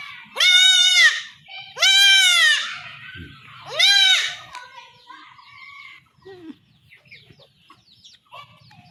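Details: Village goat kid in Bangladesh undergoing home castration cries out in three loud, harsh, wavering bleats about a second apart, then quieter scattered sounds and handling noise as the calls fade.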